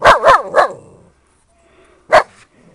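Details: Siberian Husky from a puppy litter giving three quick, sharp, high barks in close succession, then a brief pause and a single further bark; quiet background otherwise.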